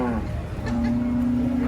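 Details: Cattle coming off a truck in Indonesia: a single sustained low moo, steady in pitch, over a background of voices and general crowd noise.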